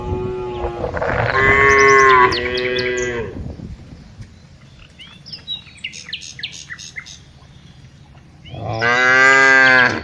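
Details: During afternoon herding, tame cows moo loudly and nasally for about three seconds, birds chirp and twitter through a quieter middle stretch, and another long moo closes the recording.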